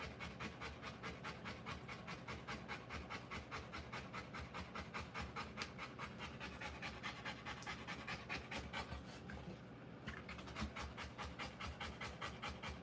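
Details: Rottweiler giving birth to puppies, panting hard in fast, steady breathy bursts of about 143 per minute, each a broad rush of air, continuing without pause across the whole stretch.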